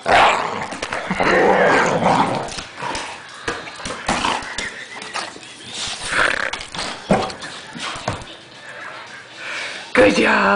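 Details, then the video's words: {'caption': 'Pet dog angrily growling and barking at a blanket indoors: harsh, noisy bursts in quick runs across the whole clip, with rustling of fabric and a woman praising the dog at the end.'} "THE ANGRY BLANKET"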